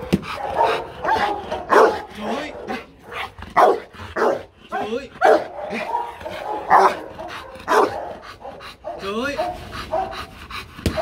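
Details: Marvin the Rottweiler, trained to bark on cue for entertainment, lets out hard, punchy barks at irregular intervals. Steady human speech with commands and encouragement runs through the whole recording.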